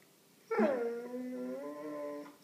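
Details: Male Alaskan Malamute, almost two years old, indoors and trying to talk to his owner: one drawn-out, tonal groaning whine that starts higher, slides down, then holds a steady, slightly wavering pitch for nearly two seconds in a quiet room.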